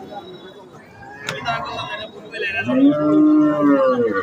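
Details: Holstein Friesian cattle at a cattle market, being sized up for meat weight and sale; one long, low, drawn-out moo with rich harmonics fills the last second and a half, after murmuring voices and background chatter.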